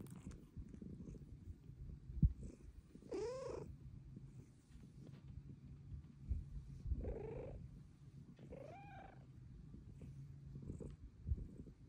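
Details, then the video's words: Luna the cat meowing for pets over a continuous deep purr, three separate meows spaced a few seconds apart, the first and last clear and ringing, the middle one shorter. "Pretty kitty meows for pets!"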